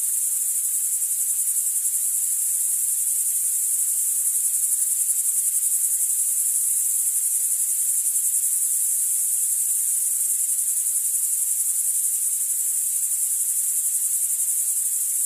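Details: A dense, steady chorus of singing grasshoppers and crickets, including the lesser marsh grasshopper (Chorthippus albomarginatus), great green bush-cricket (Tettigonia viridissima) and field cricket (Gryllus campestris), makes a high shimmering hiss without a break.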